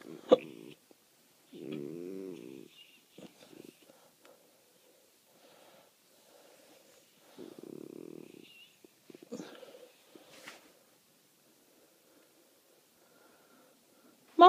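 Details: Female Great Dane puppy, rescued and being brought slowly to a healthy weight, asleep on a bed and snoring while petted: two low, rasping, buzzy snore bursts about six seconds apart, with soft human voice and rustling between.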